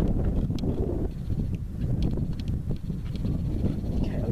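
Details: A deep, continuous rumble of many heavy hooves as American bison stampede past in Yellowstone National Park near Lamar Valley; the cause is unknown, possibly a local wolf pack known for taking down adult bison.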